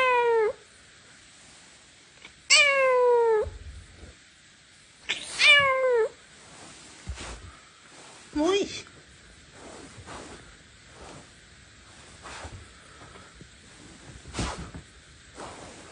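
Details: Small pet civet, angry with its owner, giving three drawn-out descending whining calls about two and a half seconds apart, followed by a short rising squeak and quieter clicks, taps and handling noises indoors.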